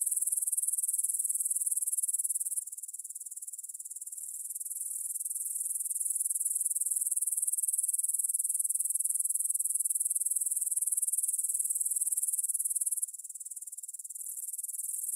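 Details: Stridulating grasshoppers at 9pm on 6 September 2020 near the Svensky monastery in Bryansk, Russia, Tascam DR-44WL stereo: a continuous high-pitched pulsing rasp that briefly softens twice before returning to full strength.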